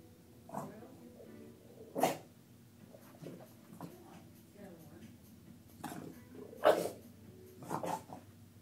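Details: A female Bulldog named Lucy, displeased by a look-alike in a picture, gives a series of short snorting huffs and brief grunts, several louder bursts standing out among quieter muttering sounds.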